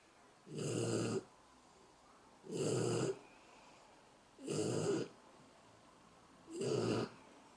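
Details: Sleeping dog snoring: four rough, rasping snores, each lasting about half a second to a second and repeating roughly every two seconds, with quiet pauses between breaths indoors.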